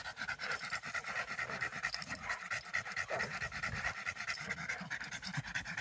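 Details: American Staffordshire Terrier (Amstaff) during protection training, panting rapidly and steadily, roughly two breaths per second, breathy bursts repeating throughout with a faint background hiss.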